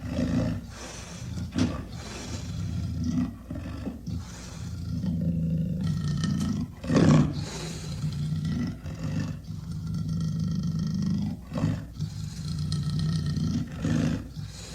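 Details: Amur leopard growling almost without pause: deep, rasping, pulsed rumbles in short surges, with one sharper, louder burst about halfway through.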